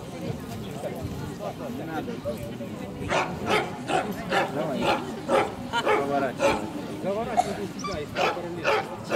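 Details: Club show of Central Asian Shepherd Dogs, Kyiv region, 28 September 2019, junior bitches class. After a few seconds of talk, a run of roughly ten gruff barks follows at uneven intervals, with people talking throughout.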